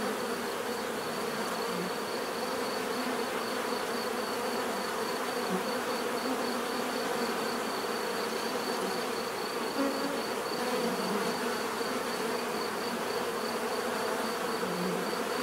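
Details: Natural buzzing of bees, a dense continuous drone with occasional nearer insects swelling briefly in pitch and volume over the steady background hum.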